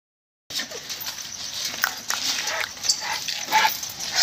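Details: Puppy barking and howling: a run of short, high, uneven yips and whimpers, about ninety a minute, over a steady hissing background.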